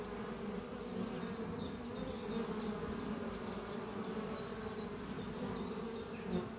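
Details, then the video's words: Bees buzzing in flight at hive Doppio among trees on a spring morning, colony rearing many new workers; even, thick humming drone overlaid by varied high twittering birdsong. "Relaxing sound of bees flying at beehive Doppio on a spring morning"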